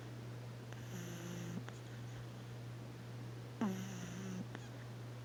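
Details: A sleeping pug puppy snoring indoors: two drawn-out, low, nasal snores about three seconds apart, each with a faint steady tone, over a constant low electrical hum.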